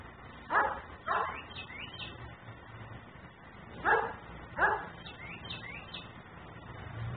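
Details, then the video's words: Nuisance dog left outside in a yard, barking while its owner leaves it out; two pairs of sharp barks, each pair quick, separated by a few seconds of quiet with steady low background hum. "Barking dog no one hears.......but me"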